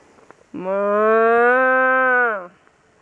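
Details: One long, level moo from cattle being herded, lasting about two seconds and slightly rising before cutting off, over a quiet background.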